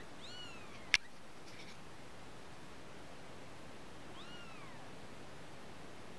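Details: Kittens: two high, arching meows about four seconds apart, each with layered overtones that rise and then drop away, with a sharp single click between them over a steady background hiss.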